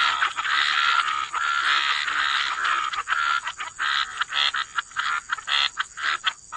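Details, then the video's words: Chorus of frogs by the waterside in wetlands, dense overlapping croaks forming a near-continuous wall of sound, later breaking into quicker separate bursts, with a steady high hiss throughout. "Frog Lullaby: Relax to the Sound of Croaking Frogs"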